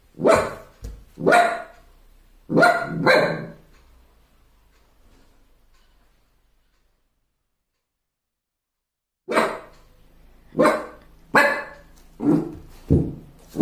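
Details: Puppy barking at his own reflection in a mirror for the first time: a burst of four high yappy barks, a long silent pause, then a rapid series of about seven more barks.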